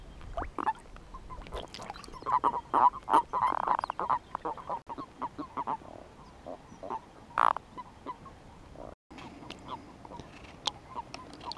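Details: European fire-bellied toads at their mating gathering, males calling over females: many short, hollow, hooting notes tumble over each other in a dense, uneven chorus, with a brief drop-out near the end.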